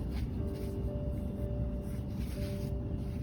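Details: Soft background music with a steady low pulse and sustained held tones, and no animal voice anywhere.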